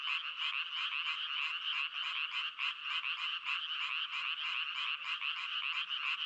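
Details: Chorusing frogs give quick pulsed croaks in overlapping runs, the loudness rising and falling slightly while the rattling trill continues without a break.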